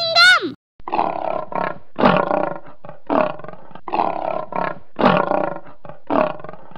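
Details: Lion roaring: a series of deep, throaty grunting roars, several strokes per second at first, then more spaced, following a short opening chime.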